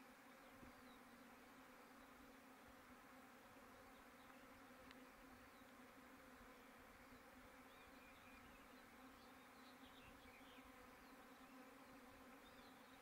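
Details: Many bees noisy after rain, a constant layered hum and buzz holding steady for the whole stretch, with faint scattered higher whines.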